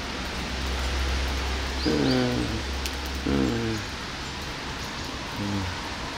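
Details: Hungry cats being fed outdoors on a rainy Sunday morning; three short, downward-sliding meows about one to two seconds apart over steady rain hiss and a low rumble.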